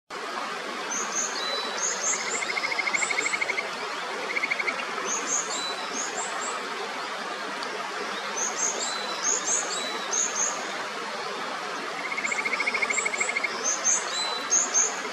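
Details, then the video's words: Kajika frogs calling in the clear upper Natori River near Sendai, Japan: many short, high whistled notes repeated in loose overlapping bursts, with two brief buzzy pulsed trains lower down, over a steady rush of stream water. "清流の歌姫 カジカガエルの鳴き声"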